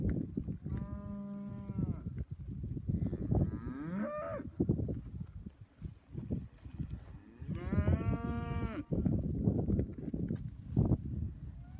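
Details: Angus heifers in a group of thirty moo three times: a long level bellow, a shorter bending one, then another sustained harmonic moo. Constant low rumble and thumping noise sits underneath.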